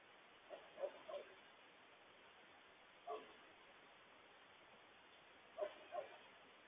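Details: Wild coyotes yipping in alarm, warning the family about a large loose stray dog; short high yips in three clusters, near one second, three seconds and just under six seconds, faint and distant against a steady hiss.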